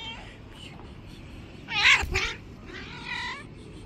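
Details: Angry white street cat, described as a bully of other street cats, gives a short harsh rising yowl with a strained, noisy peak, then a softer wavering meow; steady background hum.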